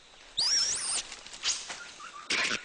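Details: A red colobus, a monkey of the upper forest canopy living alongside other monkey species, gives a high, squealing alarm call warning of a snake.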